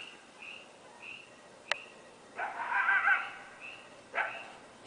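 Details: At night in Northern California in July 2008, during the Camp Fire, animals thought to be coyotes give short, high, yipping barks with a louder, rough, wavering bark in the middle.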